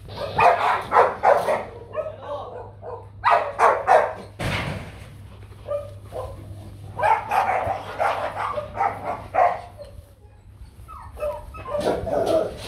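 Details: Young male Rottweiler stud Nano, kennel-bred in Vietnam, barks repeatedly in quick clusters of three to five sharp, harmonic barks separated by short pauses, while people talk nearby and a low hum runs underneath.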